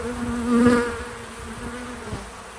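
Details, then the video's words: A single bee buzzes close by at a farm feeder outdoors, a clear tonal hum that swells loudly then fades over about a second, followed by a softer background drone. "Relaxing Bees at the Feeder 🐝 | Natural Buzzing Sounds"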